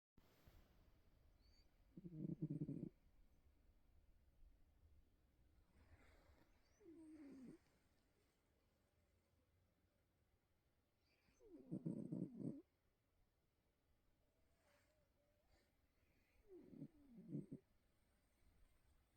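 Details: Sleeping Bengal cat snoring like a donkey: deep, rasping, nasal snores in short bursts about every five seconds, four in all, with quiet breathing between and a still indoor background.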